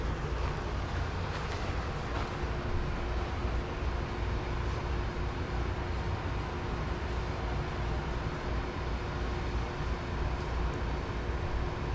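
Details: Steady low rumble of traffic or engines with a faint constant hum and no animal voices.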